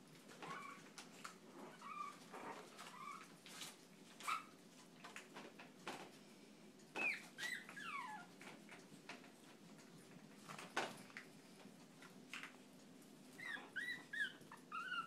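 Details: Chihuahua giving scattered high whines and short yips between quieter gaps, some calls sliding upward, with faint clicks and thumps throughout.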